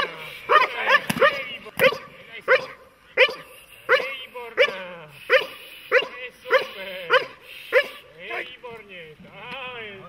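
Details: A dog barking during protection training, a steady run of about fifteen sharp, loud barks roughly every half second to second, later barks becoming strained and whining at the end, with a person's voice faintly present.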